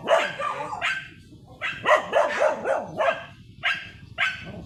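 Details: Shih Tzu Sanji, blue-line coat, photographed on a sidewalk in San Carlos City, Pangasinan: short bursts of shrill yips, a fast run of four or five in the middle, separated by brief silences.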